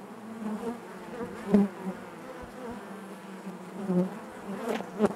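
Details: Many honey bees humming within the hive: a low, even drone with harmonic bands above it and a few brief louder swells where individual bees pass close.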